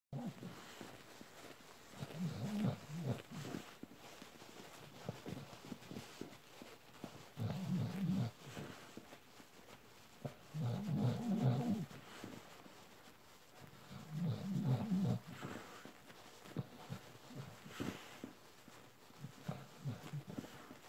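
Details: An adult Bull Terrier suckles a plush panda toy in bursts of low, grumbling, snuffling noise every few seconds.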